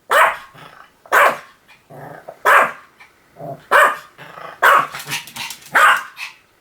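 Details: Pomeranian giving loud, high-pitched barks roughly once a second, with softer grumbling sounds between some of them, ending in a quicker pair of barks.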